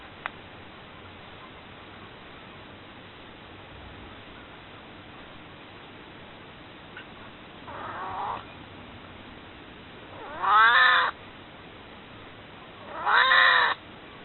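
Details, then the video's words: Begging to be picked up, the elderly house cat Maru, almost 22, gives three plaintive meows about every two and a half seconds, the first soft and the last two loud and arching, after a quiet stretch with faint clicks. "まるの生前の 抱っこのおねだりの鳴き声！"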